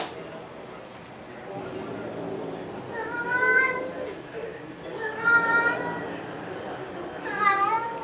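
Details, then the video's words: Cats squabbling over a car: three drawn-out, high, tense meows or yowls spaced a couple of seconds apart, each with bright stacked harmonics, over a murmuring background of human voices. "Kucing Bergaduh Berebutkan Kereta"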